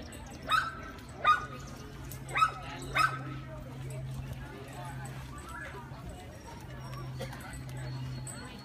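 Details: Dog-aggressive Great Dane during training in Northern Virginia, giving four sharp, separate barks in the first three seconds, then a steady low hum with quiet background sounds.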